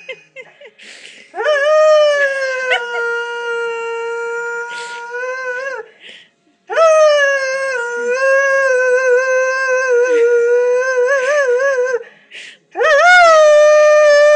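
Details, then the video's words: Lurcher named Moss howling at home for his greyhound 'sister' Lucy, taken out walking without him; three long sustained howls, each rising at the start, slightly wavering, separated by brief pauses. "Moss Howling for Lucy"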